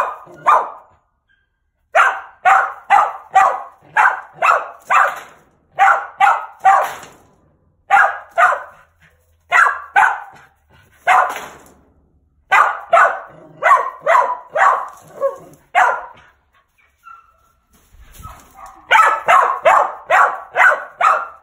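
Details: Bob, a gamey male mountain feist hunting squirrels, barks steadily in long rapid runs of loud, choppy barks, broken by brief pauses, over about twenty seconds.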